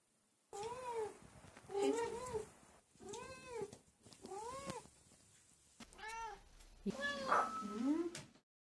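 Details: Cat uttering a rapid series of short, arched mews, rising then falling, about six in seven seconds, ending in a louder rougher cry; recording is quiet.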